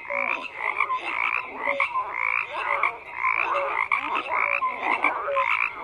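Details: Dense chorus of many frogs croaking at once, rasping pulsed calls overlapping continuously, with short clear tonal notes popping out every half second or so at two pitches.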